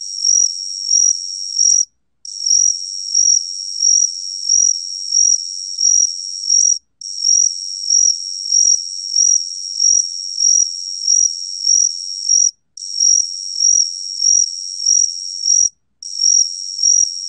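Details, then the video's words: Cricket (각시귀뚜라미) recorded by the National Institute of Biological Resources in 2020: a steady string of short, high, pure chirps at about 94 per minute, grouped into long trains broken by brief pauses, with no other sounds. "각시귀뚜라미, 1번 듣기, 곤충소리"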